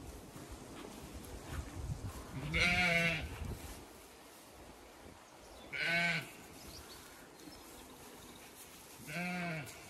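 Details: Zwartbles ewes and lambs at pasture in County Kilkenny, Ireland, on a hot May day, some grazing, some in shade; three wavering harmonic bleats spaced about three seconds apart over soft rustling background.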